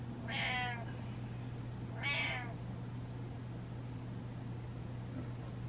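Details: Attention-seeking pet cat Butters, said to feel ignored, utters two bright harmonic meows about a second and a half apart, followed by quiet room hum.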